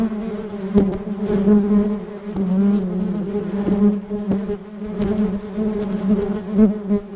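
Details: A honey bee busy on flowers in a rose garden gives a continuous, low buzzing hum from its beating wings, rich in overtones and swelling slightly in loudness, with a few soft clicks or knocks.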